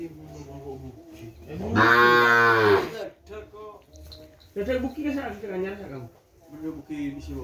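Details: Racing-bull breeding stock of the kerapan cattle, shipped from Sapudi Island to a home yard, gives one strong, rich moo of about a second, framed by men's voices chatting before and after.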